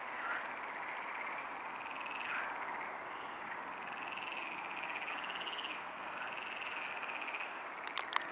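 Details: Frogs at the Neuer Teich pond, heard at 23:27 on 28 May 2017. A steady nocturnal croaking chorus hums along evenly as a continuous rasping band, and a brief cluster of sharp clicks sounds right at the end.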